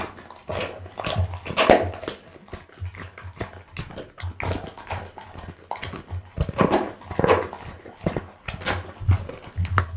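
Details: Pit bull chewing raw food including boiled loach, tuna, beef kidney, lamb spine and horse meat: repeated crunching and wet smacking bites, loud cracks now and then, over a low steady hum.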